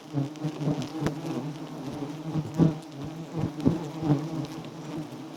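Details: Wild giant honey bees at a small nest full of honey, buzzing as the comb is taken. The low, droning hum pulses slightly and is punctuated by sharp clicks about once a second.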